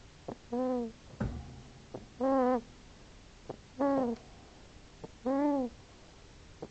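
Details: Sleeping hedgehog snoring: four drawn-out, tonal wheezing notes that rise then fall, about one every one and a half seconds, with soft short clicks and ticks between them over a quiet background.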